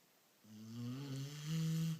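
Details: Single rumbling snore from a sleeping beagle, a low buzzy drone that swells and climbs slightly over about one and a half seconds.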